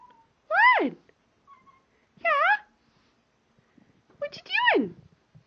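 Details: Domestic cat talking to its owners indoors: three drawn-out meows about two seconds apart, each bending up then sliding down, the last longest and loudest.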